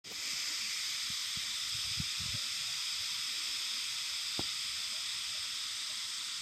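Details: Cicadas heard in a childhood setting, their cry likened to a rumble of the earth; a dense, continuous high hissing drone holds steady throughout, with a few faint low thumps in the background.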